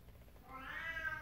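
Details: Female domestic cat indoors, one drawn-out meow rising then falling, starting halfway through and fading out at the end; quiet room.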